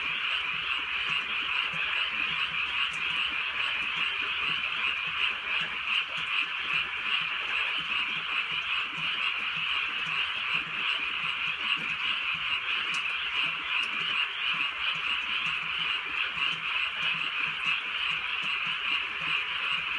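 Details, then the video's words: Frogs croaking together on a drizzly countryside night: a dense, unbroken high chorus of rapid pulsed calls, with soft rain hiss underneath and no other clear sounds. "개구리 소리"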